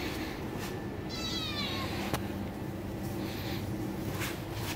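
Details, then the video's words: Meow from a Bengal cat wanting its mother's touch: a short, slightly falling cry early on, followed by quiet with a soft click and low steady hum beneath. "Adorable cat Meows For Mother's Touch"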